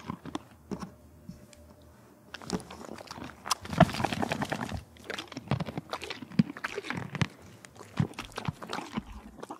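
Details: A horse at the Kentucky Horse Park, Lexington, Kentucky, crunches and chews carrots, apples and peppermints noisily, with wet, irregular bites close up.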